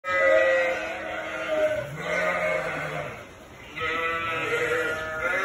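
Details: Sheep with two-week-old lambs inside a barn, loud when people are in with them: wavering, harmonic-rich bleats, one long drawn-out cry followed by a lower call and two more quavering bleats, overlapping from several animals.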